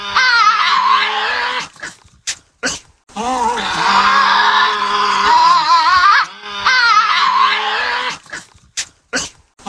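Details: A Tasmanian devil in a zoo gives loud, harsh, wavering screeches and groaning growls, broken by sharp snorts, as warning sounds.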